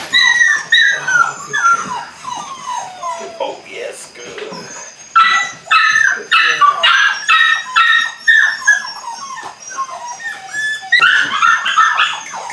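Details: Eight-week-old Belgian Malinois puppies at the start of bite work whine in descending whimpers, then give a run of rough barking yips, with human voices mixed in.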